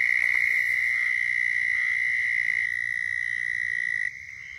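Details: Southern toads calling in Florida, a mating call: a steady high trill held for about four seconds, with a second toad trilling at a slightly lower pitch in the background, then one trill continues alone.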